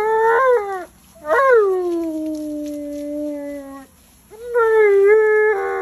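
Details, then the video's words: Tonka, an Alaskan Malamute, yells and complains during a bath he hates: three drawn-out whining howls, the first rising then falling, the middle a long descending tone, the last wavering, separated by short pauses. "Mad Malamute Speaks English While Complaining During His Bath"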